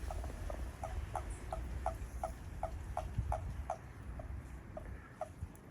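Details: Japanese common toad behind a house, where the frogs have become lively, giving a steady train of short, hollow, low-pitched pulses, roughly three per second, over a background of soft rumbling noise.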